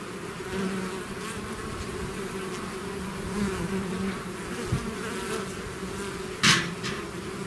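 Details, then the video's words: Bees leaving the hive as a swarm fill the air with a steady low drone; passing bees raise the pitch briefly, and a sharp click or knock cuts in near the end. "bees therapy swarm natural buzzing sound"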